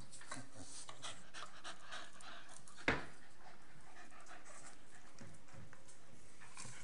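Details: Staffordshire Bull Terriers Nelly, a 12-month-old female, and Rip, a 7-month-old male, at play: quick hoarse panting breaths in short bursts, broken by one sharp knock near the three-second mark.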